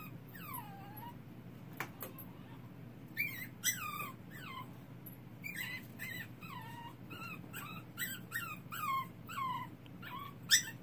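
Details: Puppy crying in the dark with clear, loud yelping whimpers, each a high squeal sliding downward, coming in quick bursts of several cries with brief pauses, over a low steady hum.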